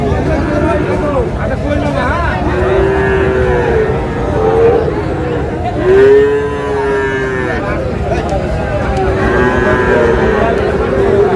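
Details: Sahiwal bull calves, about seven to eight months old, at a cattle market in Chittagong, Bangladesh, in July: several drawn-out, mid-pitched moos, the loudest near the middle, over a constant murmur of crowd voices and bargaining.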